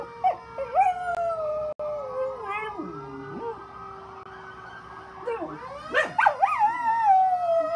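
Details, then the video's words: A one-year-old rescue dog named Ruby, mixing Chihuahua, pit bull, German shepherd, Jack Russell and rat terrier, howls at fire truck sirens: quavering howls early, a falling, dipping wail midway, then loud, climbing howls and yelps over the sirens. "Make your dog howl! Good Howl day! She loves the fire trucks! Dog howling!"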